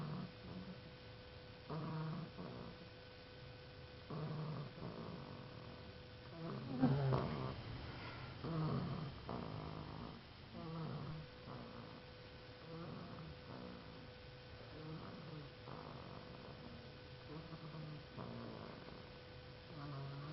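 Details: Snoring dog, its low rasping, growl-like breaths repeating roughly every one and a half to two seconds, with one louder snort midway and a constant faint hum beneath.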